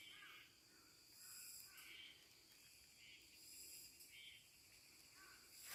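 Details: Baby water deer, a 'snoring champion', snoring in its sleep: soft, breathy nasal snores with a faint harmonic ring, coming in rhythmic bursts about every second or two, over a steady high-pitched electronic whine.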